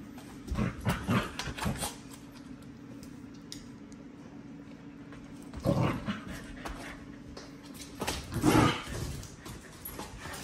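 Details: Only puppy spending the day with three adult dogs; three clusters of short, rough growl-like bursts break out between quieter stretches, over a steady low hum throughout.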